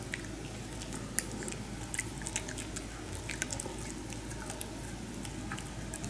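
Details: Maltese dogs indoors eating pig ear slices; rapid crunchy clicks and snaps of chewing run continuously over a low room hum.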